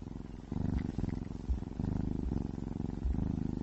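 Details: Ginger cat purring while eating wet meat food, a low rumbling pulsed purr in rhythmic bursts about every half second to a second, close and steady, with faint soft eating sounds.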